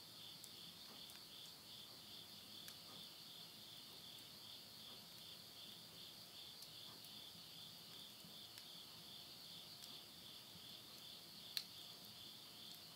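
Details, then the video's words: Insects at the end of summer in rural Tottori, Japan, at midnight in September 2020: a long, even, high-pitched ringing trill that pulses steadily, with scattered faint ticks and one sharp crack from wood burning in a stove. "the voice of insects"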